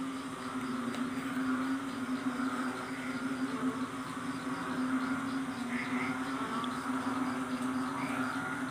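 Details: Asian common toads call at night during heavy rain that floods a grape arbor, a steady low droning trill under the hiss of the downpour; they are said to call loudly whenever it rains.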